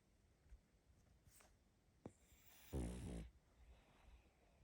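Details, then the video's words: Sleeping little female pug puppy: near-silent breathing, then a single short rough snore of about half a second, deep and buzzy, before the room falls quiet again. "Малышка мопс спит😴Храп собаки"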